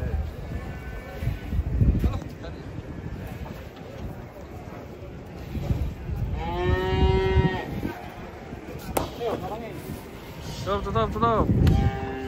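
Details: Banteng being unloaded from a truck: one long, drawn-out, tonal moo, then two shorter, strained lowing calls a few seconds later, over rumbling handling noise, thuds and scattered human voices.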